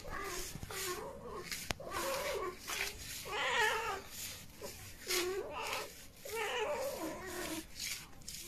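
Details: Pet cat meowing repeatedly, about six short, mid-pitched arched meows spaced roughly a second apart, some rising then falling, over a steady background hiss.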